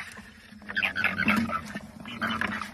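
A frog makes rapid, squeaky, slightly nasal chirps, first in a run of about a second, then a shorter burst after a brief pause. A low steady hum sits underneath.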